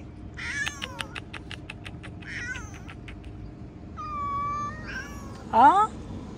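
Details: Outdoor cats giving short chirping meows in a quick cluster, then a long steady meow and a loud rising-falling yowl near the end, with faint background noise.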